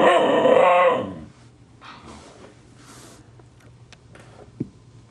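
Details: Husky Siku, grouchy while puppy Loki teases him, gives one strained, harmonic growl lasting about a second. A quiet room with faint rustling and a single tap follows.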